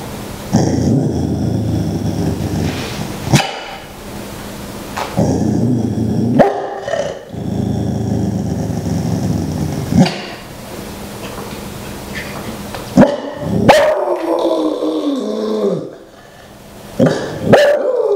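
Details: Several pet dogs howling together at night before going to sleep, a chorus of long drawn-out wavering howls in separate bouts of about three seconds, broken by short gaps and sharper yips, with one falling howl near the end.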